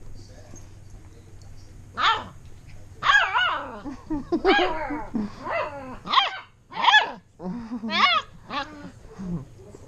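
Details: Bernese Mountain Dog puppies playing indoors: a run of high, yelping play barks and squeals, roughly one burst per second, some with rising-falling pitch, plus a low growl and a steady low hum in the background.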